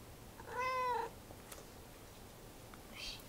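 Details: A cat utters one short, clear meow, slightly arched in pitch and about half a second long, followed by quiet room tone, a faint click and a brief, softer high-pitched sound near the end.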